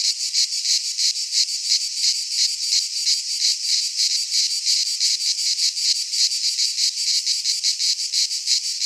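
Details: Cicadas singing in a Greek pine forest in midsummer: a loud, dense, high buzzing chorus that throbs in steady pulses about three times a second, with no other sounds.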